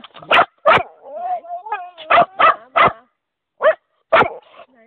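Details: Old English Bulldog making a wavering, sliding moan, said to sound like "mama", mixed with several sharp short barks and a person's voice repeating words in German.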